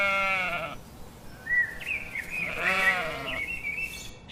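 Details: Sheep bleats: a loud quavering bleat at the start, a thinner higher drawn-out cry, then another strong wavering bleat, with faint background noise.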